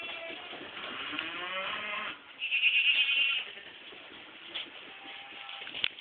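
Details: Baby goats from a 2010 crop bleat, one wavering, drawn-out cry around the middle standing out over a busy background of softer calls and movement.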